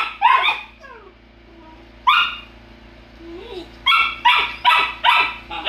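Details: Golden Retriever puppies bickering with each other let out sharp, high yappy barks. A few come near the start, then a softer whine, then a quick burst of four or five barks at the end. A steady low electrical hum runs underneath.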